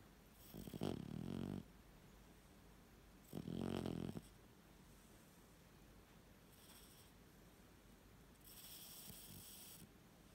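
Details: Odin, an 18-week-old Staffordshire Bull Terrier puppy, snores while sleeping, with rattling, buzzy breaths about every three seconds.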